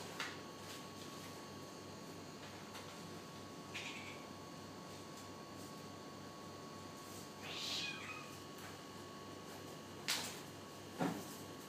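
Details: Cat from Africa stalking and catching a lizard. Several brief high calls are scattered across a steady background hum, with two sharper noisy bursts near the end.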